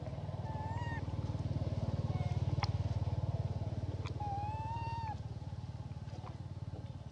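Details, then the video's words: Elpida, a female hybrid monkey, requesting food: clear tonal coos, a short one then a long drawn-out call that rises slightly and falls at the end, over a steady low engine-like rumble. "Elpida Requests Foods By Her Beautiful Sound"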